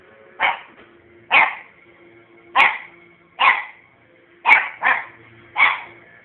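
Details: A puppy barks on bonfire night, giving seven loud, short, sharp barks roughly one per second, one pair close together, over a faint steady background tone.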